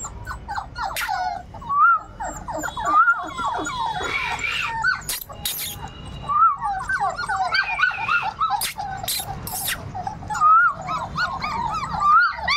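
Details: Several 38-day-old Labrador retriever puppies keep up a busy chorus of thin, rising and falling whines and yips, interrupted by sharp knocks and clatter, with faint human voice in the background.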